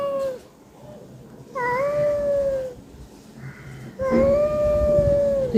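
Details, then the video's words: House cat calling after already eating: a short meow, then two longer steady meows at a moderate pitch, with a faint, softer call between them. Low indoor background rumble throughout. "আমি পঞ্চাননতলার ম্যাও"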